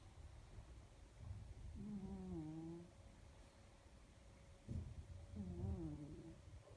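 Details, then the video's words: Domestic cat snoring while asleep: low rasping breaths with a faint tonal whine, two drawn-out snores in quick succession, quiet and steady with soft background hum. "Snoring cat"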